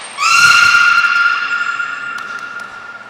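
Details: During training on 5 June 2021 at Port of Nagoya Public Aquarium, belugas Hodoi, Gray, Nana and Niko: a single loud, sustained, steady harmonic call lasting about three seconds, slowly fading, opened by a brief high thin tone.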